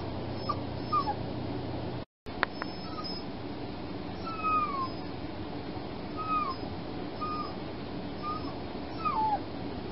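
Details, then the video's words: Night-time whimpering from a fostered female puppy after her spay: many soft, short, high whines, some rising and some falling, scattered irregularly over a steady hiss and hum. "Whining puppy"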